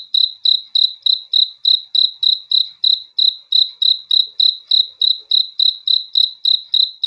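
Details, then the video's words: Crickets at night: sharp, high-pitched chirps repeated at a steady rate of about three per second, each pulse clean and ringing, with a quiet background. "THE SOUND OF CRICKETS FOR RELAXATION TO SLEEP AT NIGHT"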